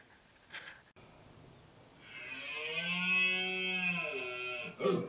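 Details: Red deer stag at the October 2016 rut in Albacete's Sierra del Relumbrar: a faint grunt, then a rising, drawn-out roar of nearly three seconds, ending in a loud hoarse grunt.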